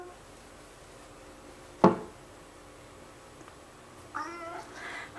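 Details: A 15-year-old male cat joins in while his owner sings Twinkle Twinkle Little Star, September 10th 2011; after a sharp knock and quiet pause come two short, bright meows in close succession near the end.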